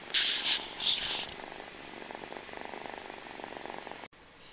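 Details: Mother cat Jamila with her suckling kitten Malika: a few loud rustling or sucking bursts open, then a clear, evenly pulsed purr rolls on steadily before cutting off abruptly near the end.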